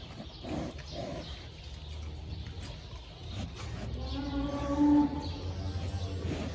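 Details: Cow just after giving birth, with her newborn calf being checked: a single low, drawn-out harmonic moo swells in the last two seconds over a steady low rumble of background noise, preceded by a few faint soft sounds.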